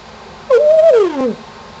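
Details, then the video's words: Shamus the pet dog howls at a contractor in the neighborhood, egged on by his owner: one drawn-out tonal howl that holds steady, then slides downward, rich in stacked overtones, in a quiet indoor setting. "Shamus Howls"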